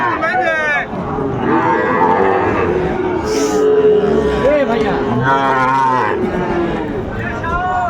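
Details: Sahiwal bull calves at a busy cattle market in Bangladesh, 20 December, where a Dhaka farmer is buying; several drawn-out harmonic moos rise and fall over constant crowd chatter and talking people.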